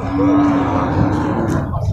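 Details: Female Limousin cattle at a busy livestock market in Purwakarta, Indonesia, during loading and unloading; a single long, steady, low moo with a rich harmonic tone over constant background hum.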